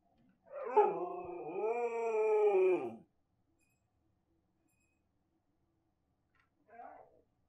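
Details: Dog howling as part of a household group 'choir': one long, drawn-out harmonic howl of about two and a half seconds that dips and then holds steady, then silence, then a short faint whine near the end.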